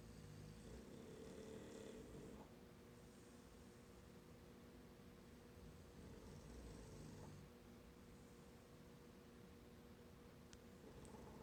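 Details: Two English Bulldogs snore in low, rough, rattling breaths that roll on steadily during a morning nap after playing hard in a field.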